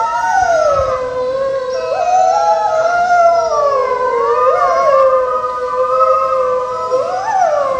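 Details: Wolves howling together: several loud, overlapping voices glide up and down in sustained, wavering tones throughout, with no pauses between them.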